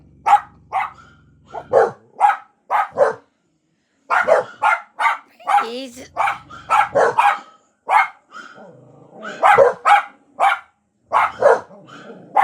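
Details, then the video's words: Pet dog barking at dogs on television: a long run of short, sharp barks in rapid bursts, several per second, with brief pauses and background television sound. "barking at dogs on TV"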